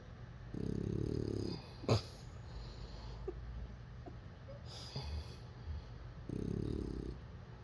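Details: Bulldog puppy snoring while asleep and dreaming: two rough, rasping snores about five seconds apart, each lasting roughly a second, with a sharp click and small snuffles between them.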